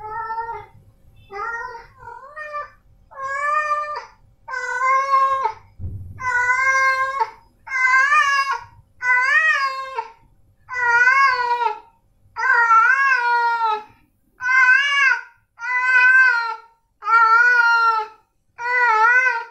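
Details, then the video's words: Male domestic cats Snowy and Milo call in a steady run of about fourteen short meows, roughly one per second, each a bright arching cry, with a single soft thump near the start. "Suara Kucing Jantan"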